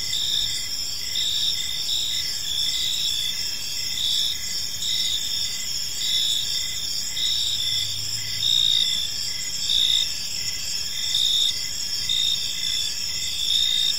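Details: Park at evening filled with cricket chirping: dense, shrill, continuous trills from many insects, gently pulsing about once a second, with a brief faint low hum around the middle of the recording.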